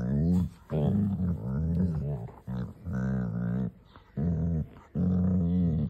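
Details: Mother and daughter Labrador Retrievers playing together in a garden, with repeated drawn-out tonal growls in bursts of about one second and short breaks between.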